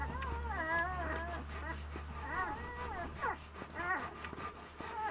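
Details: One-week-old Komondor puppies from a litter dated 13 March 2018 give a stream of high, quavering whimpers, each squeak bending up and down in pitch; several pups overlap over a steady low hum.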